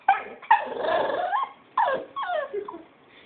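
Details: Young pet puppy vocalizing playfully with cute, drawn-out whining yips that bend up and down in pitch, two main bursts with a short gap between them, indoors with a person calling to it.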